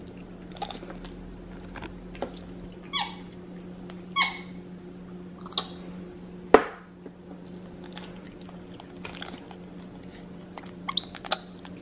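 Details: Pet capuchin monkey Xander, indoors in his high chair eating home-cooked chicken, gives short squeaky chirps with sharp harmonic chirps and clicks scattered over twelve seconds, separated by quiet pauses, over a steady low room hum.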